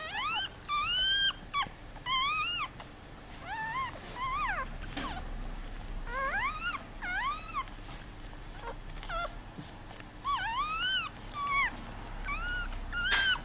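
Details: Five newborn Yorkshire Terrier puppies give high, thin squeaks that rise and fall in quick bursts.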